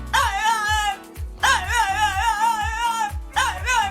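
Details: Walter, a French bulldog with his own Instagram account, makes a strange sound: three drawn-out, wavering yowls with a sharp start and a long held tone, set against a steady background music beat.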